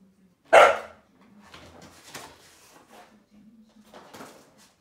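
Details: Akita performing a very long "itadakimasu" before a meal: one loud sharp yelping bark early on, then soft breathy vocal murmurs and a faint steady low whine in a small room.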